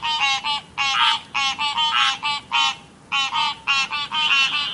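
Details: Frogs croaking near a river in a real recording, giving short bursts of twangy, harmonic croaks in quick doubled notes, separated by brief silences.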